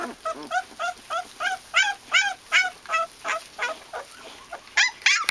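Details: Japanese Tosa Inu puppies giving short, high, squeaky yelps and whines in an uneven series, roughly two or three per second, with a steady high-pitched hiss running beneath.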